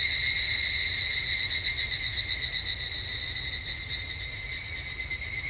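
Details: Higurashi, the evening cicada, at a Japanese temple in summer: a rapid, even shimmer of high, ringing pulses. It is loudest at the start and slowly fades, steady throughout with no other voices.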